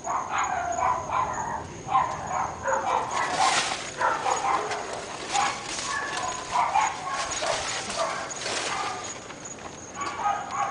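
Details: Three pet dogs in North Bay Village keep up a persistent barking chorus. Overlapping, irregular barks and a few yips come in loud bunches, with a faint constant high whine underneath.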